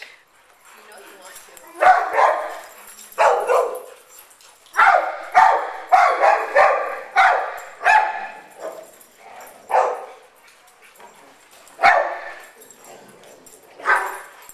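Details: Large dogs playing together at an indoor dog day care and dog park, breeds including Great Dane, Rottweiler/Labrador mix and Boxer; bursts of barking come in clusters, sometimes rapid, over fourteen seconds in an echoing indoor space.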